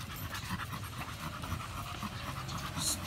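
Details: American Bully named Samson exercising at the gym, panting hard in quick, even breathy pulses about three per second, with a low room hum underneath.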